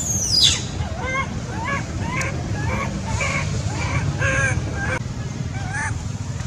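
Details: Baby monkey Sweet pea, a male, cries loudly because he is angry at his mother. Rapid bursts of wavering, whiny cries repeat about every half second after an opening high, falling squeal, over a steady low background rumble.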